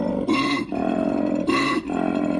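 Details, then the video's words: Koala mating call: two deep, rough, rasping bellows, each with a brief harsh burst, low and droning like a gassy burp, with no other sounds. "That's what a koala sounds like."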